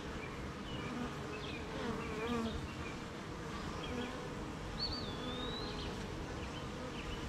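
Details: Honey bees busy at their hive on a wet morning, surrounded by gardens, farms and fields. A thick, steady low hum carries through, with scattered bird chirps and one sweeping high whistle.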